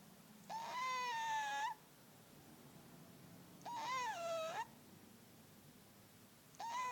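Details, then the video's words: Fat pet cat asleep, snoring loudly: whistling, tonal breaths about a second long with a slight dip in pitch, repeating roughly every three seconds over a quiet indoor background. "Fat cat snoring loud"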